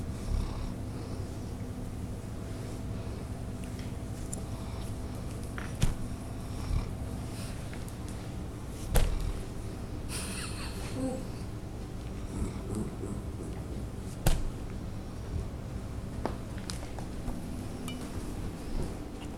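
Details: A 7-year-old female Bloodhound in rescue care snores while asleep, with low, rumbling breaths in a quiet room.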